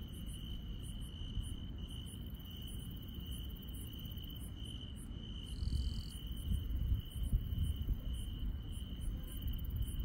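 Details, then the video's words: Countryside night chorus of grass insects, heard as one continuous high-pitched trill with scattered bright, very high chirps. A brief lower buzzing note joins around the middle, and a steady deep rumble sits underneath. "시골 밤의 정겨운 풀벌레 소리"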